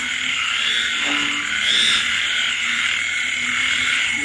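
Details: On a rainy late night in the countryside, frogs give sparse, low, short croaks beneath a loud, unbroken high insect chorus, with rain pattering throughout.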